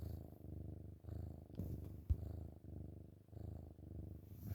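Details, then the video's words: Chubby kitten cuddling in the morning, purring loudly indoors; deep continuous rumble rising and falling in breath-paced waves, with a short knock near the middle and a brief gap. "Chubba Kitten Purrs LOUDLY"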